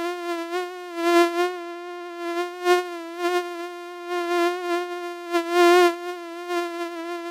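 A mosquito's thin, steady whine in flight, swelling and fading as it passes close.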